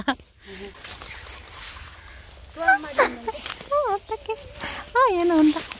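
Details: Several mixed-breed countryside puppies, filmed 6 February 2022, give high, tonal whines that slide upward and then fall. The calls come in short bursts and one longer wavering whimper, with some rustling around them.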